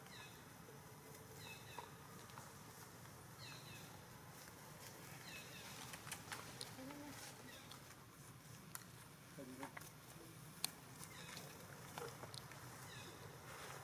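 A baby monkey gives high, thin, falling squeaks, repeated every couple of seconds, over a murmur of human voices.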